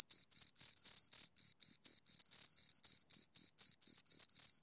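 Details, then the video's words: Two crickets chirp near the microphone, a rapid run of high, even pulses with tiny gaps between them, some chirps slightly longer, nothing else audible. "Two Crickets Chirp Sounds"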